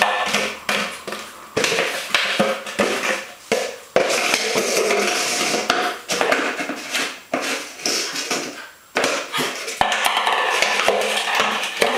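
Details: Loud continuous rattling and clattering of a plastic container being knocked about indoors, with no animal voice present.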